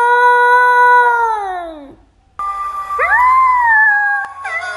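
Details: First-ever howls from a puppy: one long howl that drifts downward and trails off, then after a short gap a bright wavering howl that climbs and holds, with a soft background hum.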